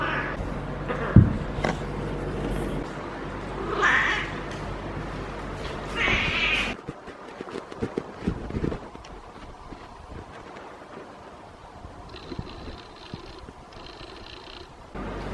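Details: Feral female cat in heat, rolling and caterwauling as a person strokes her lower back: a few short wavering yowls in the first seven seconds, then handling rustles and a faint high ticking.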